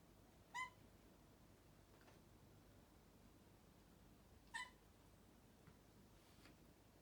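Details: Three-month-old Bengal kitten chasing a sneaking fly indoors, giving two short, sharp chirps about four seconds apart, each a brief bright note with clear overtones, over a quiet room hiss.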